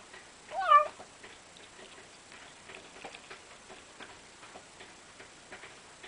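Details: Cat at its food gives one short, wavering meow early on, followed by quiet chewing and licking sounds, with a faint steady high whine running throughout.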